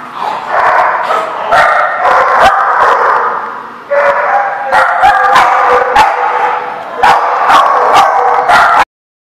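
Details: Several dogs in a barking lot, 25 April 2014, keep up continuous overlapping barking and high yips with brief lulls, punctuated by repeated sharp clattering knocks, ending abruptly.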